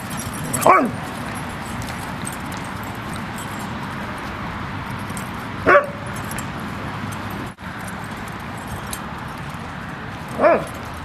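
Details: Single barks about every five seconds from a dog playing at Seal Point Dog Park beside San Francisco Bay, February 10, 2015; three short sharp barks over a steady outdoor background hum.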